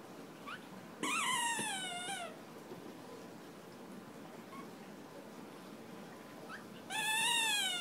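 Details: Seven-month-old male miniature rat terrier weighing 14 pounds, raised by a bay: two drawn-out, high whining cries, each sliding downward in pitch for about a second, the first near the start and the second at the end, with quiet in between.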